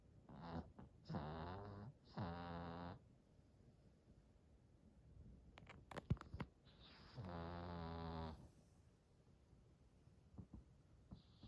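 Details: Snores from Hodu, a 91-month-old short-haired Chihuahua, worn out by a two-hour walk. Three quick buzzy snorts come close together, then a quiet stretch with a few clicks, then one longer, rougher rattling snore.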